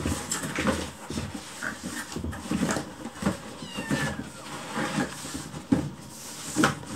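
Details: Rescued kittens, hungry, crowding around their keeper indoors while a meal is prepared and begging for food; faint overlapping meows under clattering kitchen noises and household bustle.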